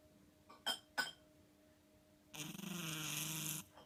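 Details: Ten-chan, a domestic cat, snoring in its sleep: two short soft clicks or squeaks, then a long rough, buzzing snore of over a second, with a faint hum in the room.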